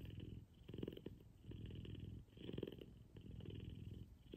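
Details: Kumba, an F2 Savannah cat, purring loud during a morning cuddle; a deep vibrating rumble alternating between stronger and softer phases with each breath, about every second and a half, heard very close with no other sounds.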